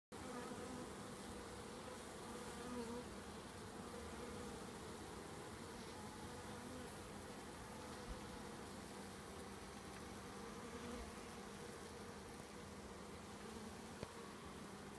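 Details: Italian honey bees from a newly installed package hive, about an hour after hiving, fanning the entrance with their wings, believed to be Nasonov pheromone fanning; a steady, unbroken droning hum with low tonal bands throughout.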